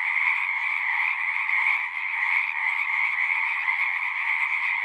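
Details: Pond frogs in a horse pasture calling together, a thick continuous trilling chorus with a brief slight dip in loudness near the middle, otherwise steady and dense.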